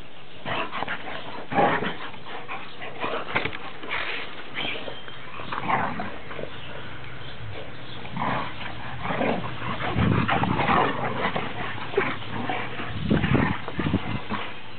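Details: Boxers Oliver z Ringu and Cassius Clay "Rocky" from Kett Box, 2010-06-06: irregular whimpers, yips and brief barking-like bursts scattered through the recording, with handling and scuffling noises.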